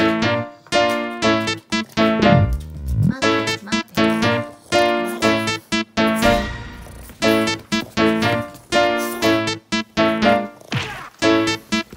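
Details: Bouncy electric piano music plays in short repeated phrases with brief pauses, and no animal sound comes through.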